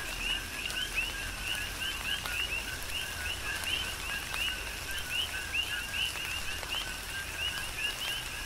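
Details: Coqui frogs in chorus amid tropical rain on Hawaii's Big Island. Dense, regular two-note calls, each a short tone and then an upward-sweeping whistle, continue without pause over a steady rain patter.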